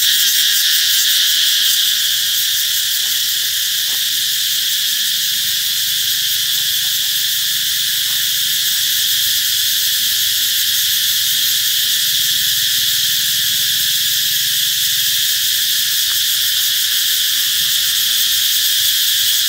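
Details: Cicada song heralding the approach of summer, a dense, high, hissing buzz that stays steady and unbroken for about twenty seconds, swelling slightly at the start and end, with only faint low background sounds beneath.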